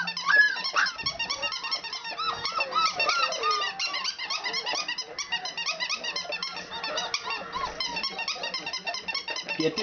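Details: Four-week-old country puppies vocalising together in a small room, a continuous tangle of bright rising-and-falling squeaks and whimpers crowding over each other for ten seconds, with occasional short low hums in the background.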